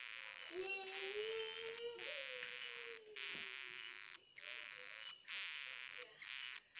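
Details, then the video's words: Baby hamster crying in long, high, hissing, buzzy squeals with fluttering pitch, joined by a lower, smooth rising-and-falling tone in the background during the first seconds. "jangan di dengar suara hamster"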